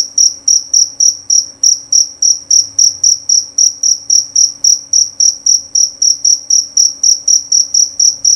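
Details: Male jerabang cricket (jangkrik jerabang) giving loud, clear chirps: a steady train of high, pure-toned pulses repeated about four times per second, each fading quickly, over a faint low hum.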